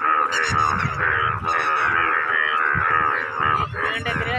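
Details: Scores of Indian bullfrogs, which turn bright yellow to attract mates, croak together in a dense, unbroken chorus of loud, nasal mating calls.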